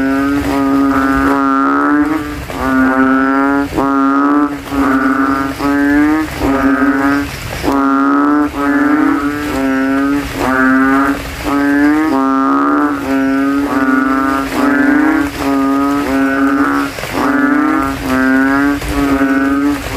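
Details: At night after rain, banded bullfrogs in a cemetery puddle inflate their throats and vie with rivals for the loudest voice: a long run of deep, nasal, moo-like notes, each under a second, repeating steadily with short gaps.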